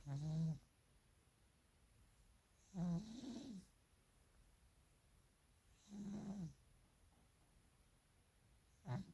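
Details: A sleeping Maine Coon cat, snoring and dreaming, snores in low, rumbling bursts about every three seconds.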